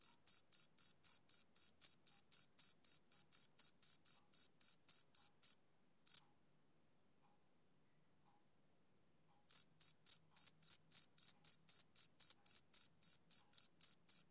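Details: A male cricket chirps on a summer evening. A rapid train of shrill pulses, about four per second, is followed by a single isolated chirp and a silence of several seconds. The steady chirping then starts again.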